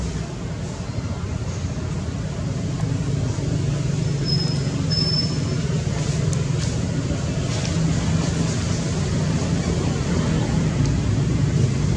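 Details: A steady low rumble of vehicle or traffic noise fills the recording. No animal voice can be picked out.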